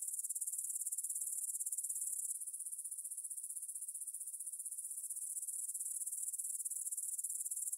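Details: Grasshoppers stridulating in a meadow field near the Svensky monastery, Bryansk, Russia, at 9pm on 6 September 2020, recorded on a Tascam DR-44WL in stereo: a high, dense pulsed chirring that steps slightly quieter after two seconds and then runs on.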